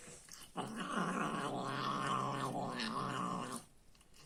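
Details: Angry domestic cat growling while eating food indoors: one low, rough, steady growl held for about three seconds, with a faint wavering in pitch, then quiet.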